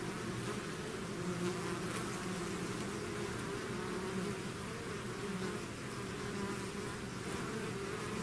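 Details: Steady collective hum of a swarm of bees outside its hive, a low, even buzzing with gentle wavering pitch and no break over the whole stretch.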